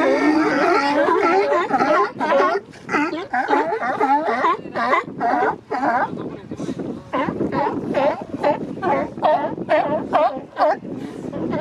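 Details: Territorial male sea lions on the Monterey Bay Coast Guard pier in April or May; loud, raspy, yelping barks from several animals in quick irregular bursts, rising and falling in strength.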